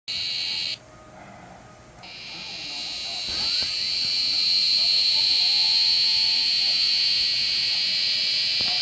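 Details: Korean cicada singing: a steady high buzzing drone that breaks off briefly, then returns and swells into a loud continuous hiss with a faint pulsing.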